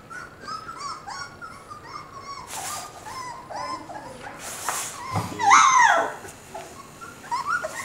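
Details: Moss, a 4-week-old Border Collie puppy, cuddled at the breeder's house, gives repeated thin, high squeaky whimpers and short rising whines, with people talking quietly nearby.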